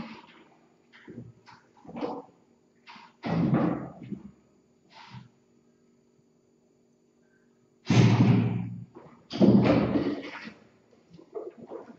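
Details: Irregular thumps, bumps and handling noises indoors, with a steady low hum and no clear animal voice.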